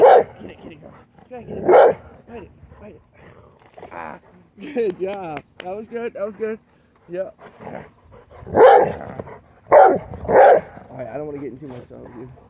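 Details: A Rottweiler gives deep, gruff barks in scattered bursts, interrupted by a person talking; she is worried about a dirty Gatorade bottle, as she used to be when her owner vacuumed.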